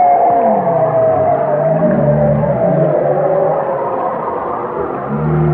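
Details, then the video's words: Whale song heard as loud, dense layers of sliding moans, with low groans bending downward and mid-pitched tones holding and wavering, several voices overlapping without pause. "chant des baleines"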